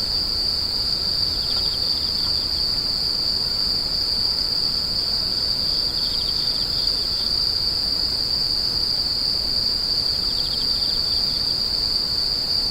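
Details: Continuous shrill insect buzzing holds one high note throughout, while softer rhythmic chirps pulse in and out at a slightly lower pitch.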